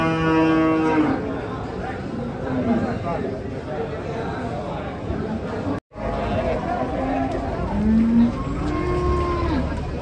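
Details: Giant cattle being unloaded from a truck in 2024 give long, deep, harmonic-rich moos, one near the start and another low, drawn-out bellow toward the end, over constant crowd chatter and voices.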